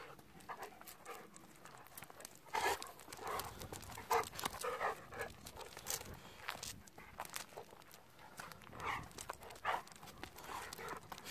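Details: Golden Retriever riding in a car on the way home, one of two dogs, Kohaku aged 11 and Ibuki aged 10; breathy, noisy panting bursts arrive irregularly, roughly eighty a minute, with louder huffs near the middle.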